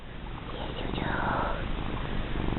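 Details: Fat female pet cat purring during a rubbing, a low continuous rumble underneath, briefly overlapped by a woman's soft spoken words in the middle.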